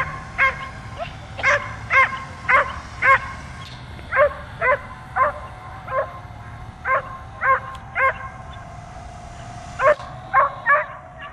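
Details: A dog barks nonstop at a drone overhead, jumping to catch it. Rapid, punchy barks come roughly twice a second in a long series of about twenty, with a whining drone tone throughout.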